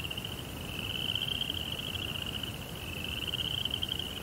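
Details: Crickets chirping at night in a Japanese Zen rock garden with a koi pond: a steady, high-pitched pulsing trill that runs unbroken through the clip over a soft low rumble.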